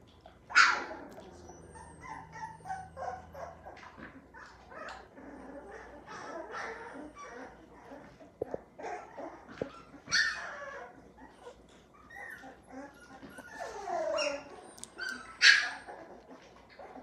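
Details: A litter of nine healthy American Pit Bull Terrier puppies, with high, bright yelps at intervals standing out over a steady backdrop of soft whimpers, squeaks and scattered low noises.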